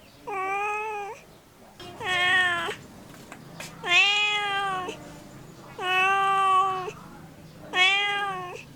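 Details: Cat meowing in five drawn-out, even-pitched meows of nearly a second each, spaced about two seconds apart, against a quiet background.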